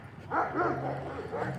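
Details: A Bernese mountain dog met on a fall walk in Michigan gives a brief, deep, throaty bark with a rough, harmonic ring, a person's voice faintly heard with it.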